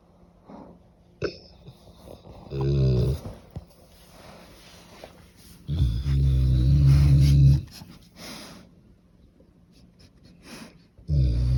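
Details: Cane Corso named Nero asleep and snoring loudly indoors; deep, rattling low snores come at intervals, the longest lasting about two seconds, with soft breathing and faint rustling in between.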